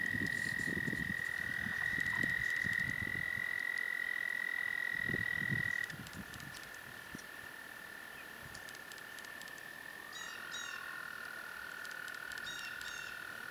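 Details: Several toads at Patuxent Refuge give long, steady, high musical trills that overlap at slightly different pitches.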